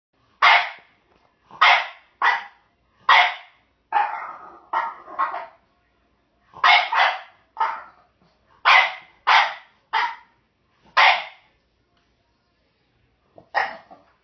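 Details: Indoor pet French Bulldog barking while trying to get a bone held by a jack russell/rat terrier mix: sharp, bright barks in quick bursts, about a dozen over fourteen seconds, a short muffled grumbling run mid-way, then a pause and one final bark.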